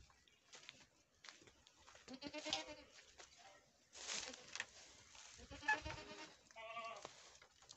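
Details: Goats on a farm in Nepal, bleating several times: wavering, harmonic-rich calls with a quavering vibrato, separated by short gaps, with faint shuffling and background noise between them.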